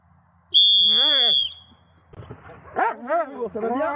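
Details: An electronic-sounding steady high beep with an arched tone underneath opens, then the 11-year-7-month-old Dobermann Magmar Von Der Burgstätte follows with three rising-and-falling whining yelps close together.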